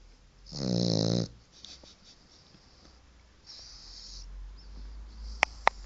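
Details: White four-month-old French Bulldog asleep, letting out one loud, raspy, buzzing snore lasting under a second, followed by long quiet breathing and a few faint clicks.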